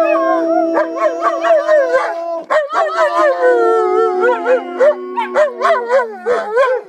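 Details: German Shepherd dogs howling in a group, long drawn tones overlaid with rapid wavering yips and rising-falling cries, voices overlapping throughout.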